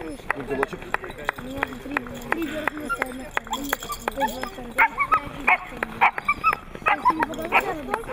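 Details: Siberian Husky in Nizhny Novgorod on 3 February 2017, giving short sharp yips and whiny, wavering 'talking' sounds in quick bursts, with clicking noises and people speaking over it throughout.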